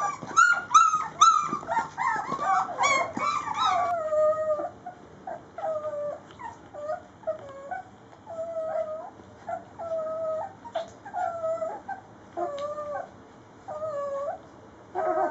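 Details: A litter of three-week-old Rhodesian Ridgeback puppies at mealtime: a clamour of high yelps at first, then drawn-out, wavering whines that repeat every second or so, each a thin, bending cry with short pauses between.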